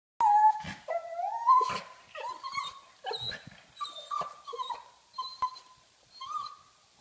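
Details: Female pug wanting to play, indoors: a sharp opening yelp followed by a series of nasal, wavering whines and squeaky grunts, roughly one each second, some rising at the end.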